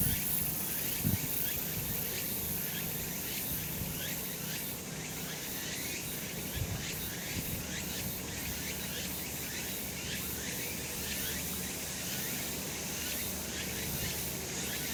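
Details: On a summer mountain in the sun, many cicadas fill the air with an unbroken buzzing drone, high and hissing, its intensity throbbing in quick regular waves; a few faint low thumps sit beneath.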